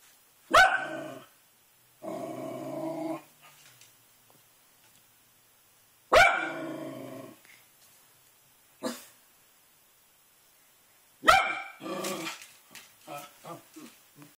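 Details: A Miniature Pinscher–Yorkshire Terrier mix barks out the window, giving sharp, high barks in bursts, with gruff growling grumbles between them.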